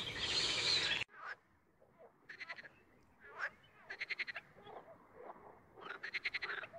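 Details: A frog croaking on its own after a loud opening burst of noise: short, pulsed, rattling croaks in separate bursts, with quiet gaps between them.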